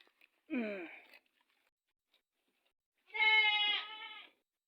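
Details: Domestic goat on a farm where a goat has just unexpectedly given birth; after a short falling voice-like sound, one loud, drawn-out, strongly harmonic bleat lasts just over a second, with a wavering break near its end.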